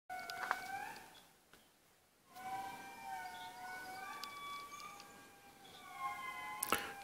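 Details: Indri lemurs calling in Analamazaotra National Park, Madagascar: long, siren-like wails in layered tones that slide up and fall, with a short pause before the chorus swells again, and a few sharp knocks.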